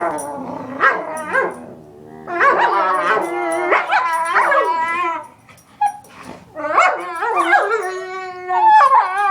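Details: Several pet dogs making odd vocal noises: wavering harmonic howls and whines with yelping breaks, overlapping voices rising and falling in pitch, bursts separated by short pauses.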